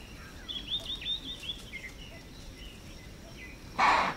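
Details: Alarm chuff of an impala reacting to a predator in Manyeleti Game Reserve, South Africa: a single sudden, explosive snort closing the clip, following a stretch of small birds chirping and warbling in the bush.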